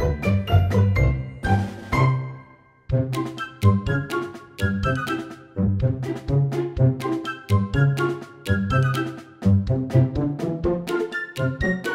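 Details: Playful, bouncy children's jingle with plucked and chiming notes and no animal sound.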